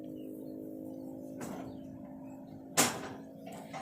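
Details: No animal sound; a steady low tonal hum continues throughout, broken by a faint scrape and one sharp knock.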